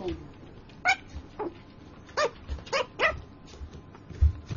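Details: Dreaming puppy talking in its sleep, giving a run of short, thin, rising-and-falling whimpering yips, some in quick pairs, with soft low thumps and faint room noise between them.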